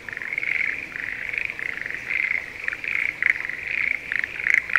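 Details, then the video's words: Quieter stretch of a Schlegel's green tree frog chorus in a spring rice paddy near Sendai, Japan, at breeding time: soft, continuous high trills that swell and fade, with a few sharper clicks toward the end. "シュレーゲルアオガエルの鳴き声Voice of schlegel's green tree frog"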